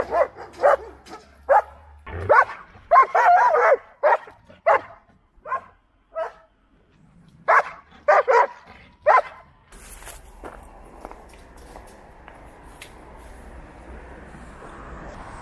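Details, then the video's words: Stray dog being fed in the city, barking in irregular bursts of sharp, mid-pitched barks for about nine seconds, then quiet with a low hum of traffic and street noise. "stray dog"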